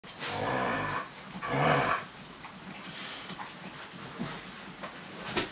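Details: Laika, a Siberian Husky, gives two drawn-out harmonic vocal bursts in the first two seconds, the second rising and wavering, followed by quieter rustling and breathing noises.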